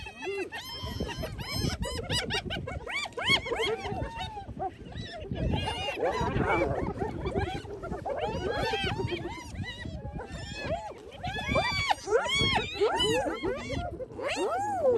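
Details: Hyenas feeding on a kill taken over from lions once the lions had eaten their fill, recorded on an iPhone; dense overlapping squealing, whooping and giggling calls, arched rising-and-falling tones crowding each other almost nonstop from several animals.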